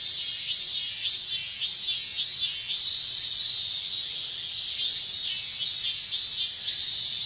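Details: Loud minmin cicada chorus in hot Japanese summer weather, clear repeated wavering phrases, each a quick rising-falling pulse, sitting over a constant high shrill drone.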